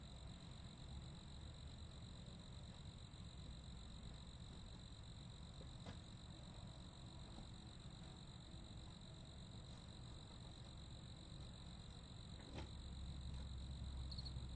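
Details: Crickets chirp in a constant high, unwavering trill, with a weaker band higher up. Deep background rumble runs throughout, and two brief sharp clicks break through.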